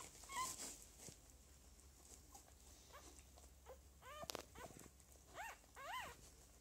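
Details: Lagotto Romagnolo puppies from a breeder's second litter, 6 January 2015: a few short, high, arching whines come late, around four to six seconds, over a quiet indoor background with soft rustling.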